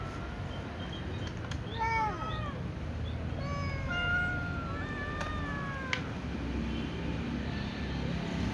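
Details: Little cat meowing before eating alongside other cats; a run of short, fairly faint meows, some rising then falling, others flatter and drawn out, over a steady low rumble with a few sharp clicks.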